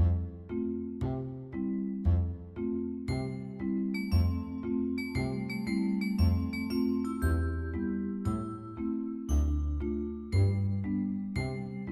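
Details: Gentle chiming music-box melody with bell-like notes repeating at a slow, even pace, and no animal sound.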